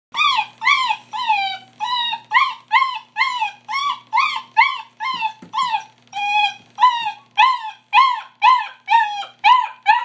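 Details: Puppy crying during a bath: high, arching whimpers repeated about twice a second, each a short rising-then-falling whine with bright overtones, continuing steadily; a faint low hum runs underneath.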